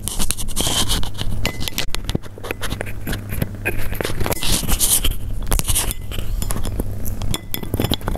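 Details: Persian cats heard up close while eating: dense, irregular crunching and sharp clicking bites with scraping noises. A steady low hum runs underneath throughout.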